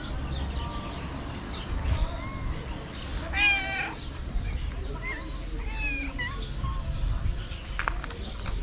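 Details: Homeless street cats in Morocco begging for food: scattered short meows, one louder wavering meow midway, others faint and overlapping, against constant low outdoor rumble.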